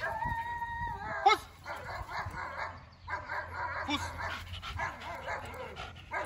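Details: Thor, a Belgian Malinois, whining in a field obedience and control session; a steady tonal whine opens, followed by a sharp sound and clipped spoken commands over low background rumble.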